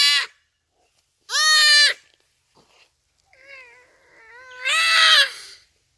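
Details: Common duiker crying for help while a cheetah makes the kill, rainy afternoon, Phinda Private Game Reserve: two sharp, loud nasal bleats, then softer wavering, whining cries sliding up and down, ending in a long, loud bleat.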